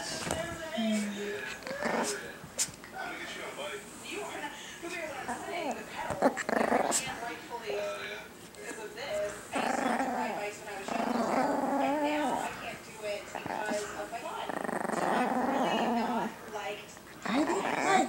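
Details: Chiquita, a small female pet Chihuahua, during a tug-of-toy game played almost every night; low rumbling growls and short whimpering yips recur through the clip while a person talks to her continuously over the top.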